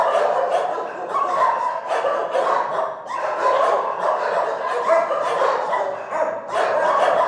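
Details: Chorus of shelter dogs barking without pause, many voices overlapping into a steady wall of short, harsh barks and occasional higher yips.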